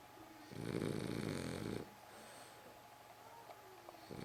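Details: Snoring French Bulldog, one harsh, buzzing snore lasting over a second, then quiet breathing and a soft whistle-like tone before the next snore begins.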